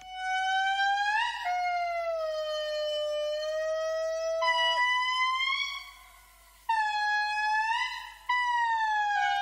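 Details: A critically endangered indri sings in a Madagascar forest, giving long, wailing, siren-like notes that hold steady and then swell or slide.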